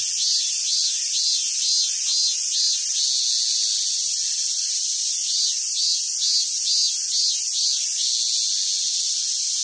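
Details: Cicada chorus in summer at the Awaji Island Monkey Center, Sumoto, Hyogo, Japan, where wild Japanese macaques gather: dense sizzling drone, with rhythmic pulses swelling and fading in the first seconds.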